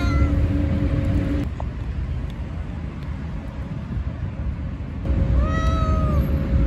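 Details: Stray cat meowing once near the end, a level sustained cry that drops off, following a stretch of steady engine hum and low traffic rumble.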